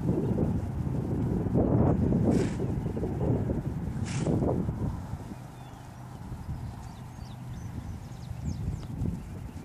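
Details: Dutch Warmblood horse moving over ground, its hoofbeats coming as irregular dull thuds at about four per second, louder in the first half, with a steady low hum beneath and two sharp brief clicks.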